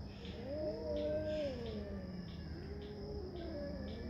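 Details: Cat making quiet, drawn-out moaning growls, two wavering low yowls with a pause between, half buried under steady hum and faint rhythmic background ticking.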